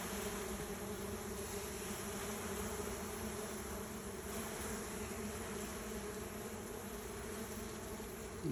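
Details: Dense, even hum of bees at one of two neighbouring nests, one of which the colony has left; the droning stays constant the whole time with no other clear sounds.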